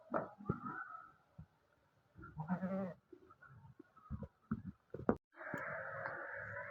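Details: Goat of the teddy breed in Pakistan after giving birth to three kids; a short bleat near the start, then scattered thumps and rustling, ending in a loud sustained bleating call over background noise.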